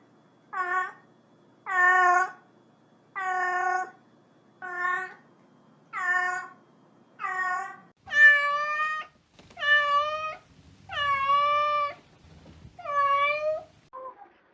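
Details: Pet cat meowing repeatedly indoors: about eleven evenly spaced meows, roughly one every second and a half, the later ones longer and slightly higher, in a quiet small room.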